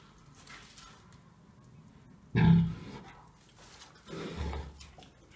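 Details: Dezső, a three-year-old pig also called Toka, fed green waste and kitchen scraps at Bálványos on 16 July 2018, picky and preferring fresh greens like carrot tops and mallow; two short, low grunts, the first loud and abrupt, the second softer.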